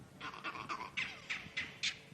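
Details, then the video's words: Monkeys furiously alarm calling at a leopard that has just crossed through the area at sunrise on a safari drive; a series of harsh barking calls roughly every quarter second, with faint background hiss. "that's that is a leopard alarm call I might not speak monkey perfectly or fluently but that is a leopard alarm call"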